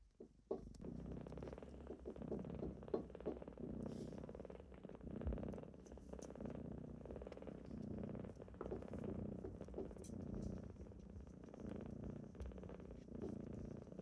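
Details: Loud, unbroken purring from kittens waking someone in the morning, a dense low rumble rising and falling in gentle waves for fourteen seconds, with occasional small clicks and rustles.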